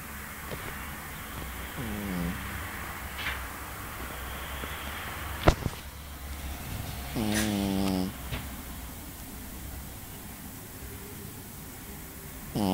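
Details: Pekingese dog snoring indoors: a faint rasp near two seconds, then a louder harmonic snort lasting under a second around seven seconds, with another starting at the very end over a low steady hum.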